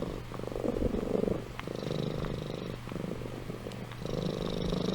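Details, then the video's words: Sleeping cat Amy purring: a continuous low vibrating rumble with a brief dip near the middle, swelling again toward the end with a faint hissy breath. "Compilation of Amy Purring & Snoring"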